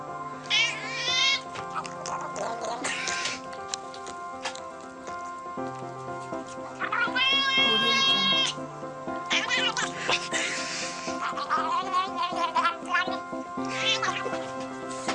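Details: Domestic cat meowing in a cute, funny pet compilation: several rising-falling harmonic meows scattered through, some drawn out, over constant background music.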